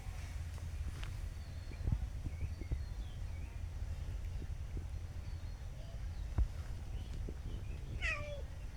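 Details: Newly adopted cat being tamed in a rural village setting, following its feeder after a meal and wanting more food; a single clear descending meow near the end after long quiet, with low background rumble and faint clicks.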